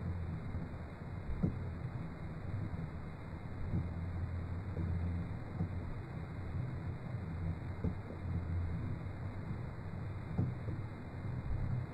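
Low rumbling engine or wind noise with occasional thumps, and no animal voice anywhere.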